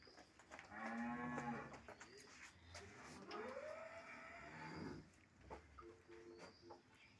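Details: A dairy cow with her calf on a Bangladeshi farm lows twice: a steady moo near the start, then a rising, wavering call, while people talk nearby and a bucket clatters.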